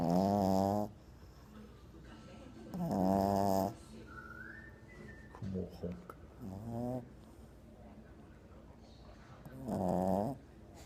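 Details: French Bulldog sleeping soundly on a lap for the first time: heavy, buzzy snores about a second long, with shorter snorting breaths in between, recurring every few seconds.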